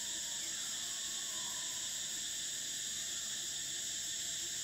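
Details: Short stretch of summer cicadas in Thailand: a constant piercing, hissing whine held at steady loudness, with a faint sliding tone early on.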